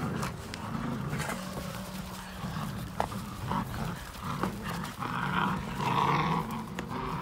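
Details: Belgian Malinois puppies, fifty days old, contest one toy in a playful gang struggle; a steady low growl runs throughout with a few sharp knocks and a louder raspy rise toward the end.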